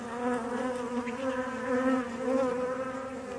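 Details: Honey bees buzzing at a relocated hive being inspected: a steady, loud droning hum with many even harmonic bands, slightly wavering in pitch and loudness throughout, with no other sounds.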